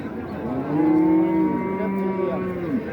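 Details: Bovine lowing at a cattle market in Raniganj, Dinajpur, 2025: a short, even moo swells and then trails off into softer groaning, heard over a murmur of market noise.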